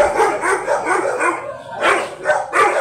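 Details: Very big yellow Labrador Retriever at a stud service in Manaoag, Pangasinan, Philippines, giving a few harsh, broadband barks late in the clip after a stretch of rough, lower-level vocal sound.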